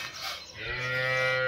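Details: A first-calf cow with two teeth, offered for sale with another in Niphad taluka, gives a short low, harmonic moo rising out of background noise, while a man talks nearby.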